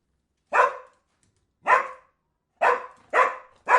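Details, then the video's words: Dog giving five loud, harsh barks at roughly one-second intervals, the last three coming closer together. "Discover animals with sound Dogs"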